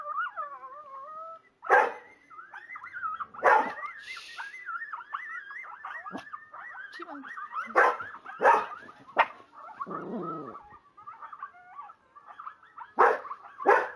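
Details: A Kuvasz howls in long, wavering tones in reply to a wolf howl played on a PC, broken by sharp barks and whines.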